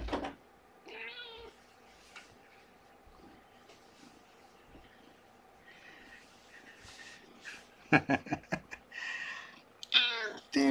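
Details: Domestic cat indoors with Shelby, an abandoned mother cat of about two years, and her kitten, the 'blanket monster', being moved back; a short harmonic meow early, soft talking, then clicks and another louder meow near the end.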